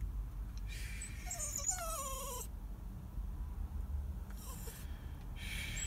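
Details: Sad, crying dog giving a few thin, high whines that slide downward in pitch, clustered in the middle of the clip, over a steady low background rumble with brief hissy bursts.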